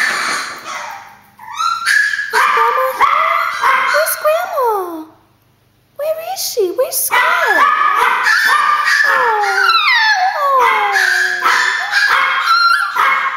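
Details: Chihuahuas that believe grandma is at the door yap, then break into sliding, falling whine-howls. There is a short silent gap midway, then renewed chorus of high yelps and descending wails.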